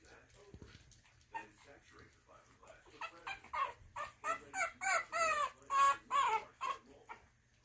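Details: French Bulldog puppies in an indoor nursery, heard by a visiting adult Frenchton: soft scattered squeaks build into a quick series of loud, whiny, wavering cries, about two per second, then fade.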